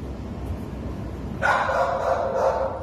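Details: Treeing Walker Coonhound up for adoption, recorded 13 November 2019: after more than a second of quiet room noise, one drawn-out, steady bay starts and holds to the end. It is loud and full-toned.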